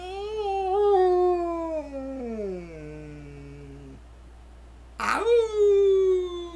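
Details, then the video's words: Indoors, Jake the purple-eared standard poodle service dog sings to greet the day, holding a smooth howl that glides steadily downward and fades, then after a short break a sharp onset leads into a new sustained howl. "Jake the purple-eared poodle singing to greet the day"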